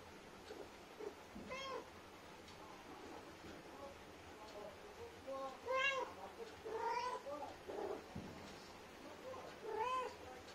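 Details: Mother Indian street cat chatting with her kittens: a run of short meows and chirrups of varied pitch, some bright and rising, scattered irregularly amid faint background talk and hiss.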